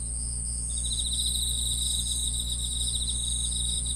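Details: Grass insects trilling. A high steady whine runs throughout, and a second rapid pulsed trill joins under a second in, set against a low humming background.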